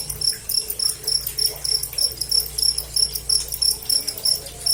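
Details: Cricket chirping up close, a bright high trill in short pulsed bursts repeated about three times a second, steady and clear over a faint low hum.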